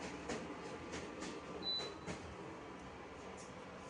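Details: Quiet background hiss with soft thumps and one brief high electronic tone, and no animal call.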